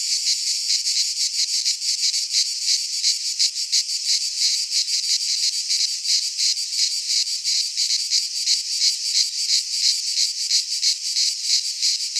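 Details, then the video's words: Many cicadas in a Greek pine forest at midsummer produce an unbroken, piercing buzzy song with regular quick pulses, roughly three per second, loud and uniform throughout. "Cicadas singing in midsummer - Nature sounds from the Greek fauna - Sounds of cicadas"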